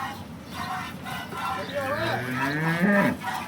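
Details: Local horned cow of Banaskantha, India, in her first lactation and giving nine litres of milk, lowing once in a rising, drawn-out moo amid a man speaking Gujarati.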